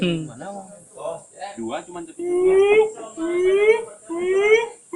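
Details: Siamang at Gunung Gerute, Aceh Barat, Aceh, giving drawn-out, smoothly rising harmonic whoops, each about three-quarters of a second long, after a few shorter broken notes.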